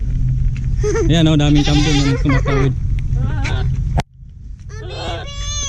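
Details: Domestic goat among a large herd, a male courting and chasing a female to mate; several wavering, quavering bleats in quick succession, then a short nasal bleat, over steady low engine rumble and background voices.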